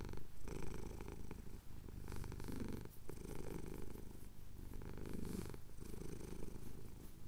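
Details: Purring male house cat, chin being scratched, Cotswold hills at sunrise, recorded with a Tascam DR-07X; a close, deep rumble that surges on each inhale and exhale, with a few soft rubbing sounds between breaths.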